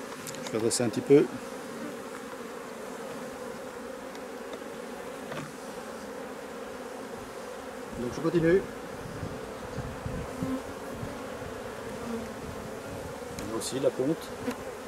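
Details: Steady droning buzz of honey bees, a drone-laying colony being replaced, continuous and low throughout, with a few brief human voice sounds and faint knocks scattered across.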